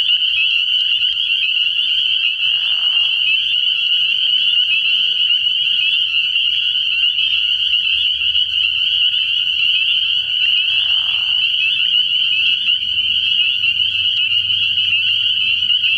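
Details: Spring peepers calling en masse after dark at an early-season frog pond, a constant high-pitched shrilling; two short lower, nasal bursts at about three and eleven seconds, and a faint deep drone in the later half.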